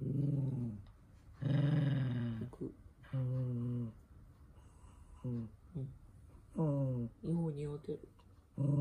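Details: Indoors, the toy poodle Minato growls and snarls while socks are pulled onto his feet: a string of uneven growl bouts, some long and rumbling, others short and clipped, rising in pitch toward the end.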